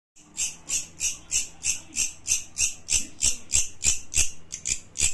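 A grasshopper gives a steady series of dry, buzzy rasps, about three every second.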